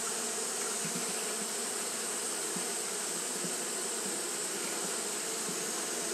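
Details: On a hot day, Japanese honey bees keep up fanning behaviour: a thick, constant buzzing drone with faint flickers of individual wingbeats rising briefly above the steady hum.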